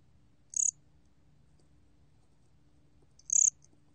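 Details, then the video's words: Gom-gwitturami cricket producing two short, high, buzzy pulsed chirps nearly three seconds apart, with near silence and a faint low hum between them. "곰귀뚜라미, 여러번 듣기, 곤충소리"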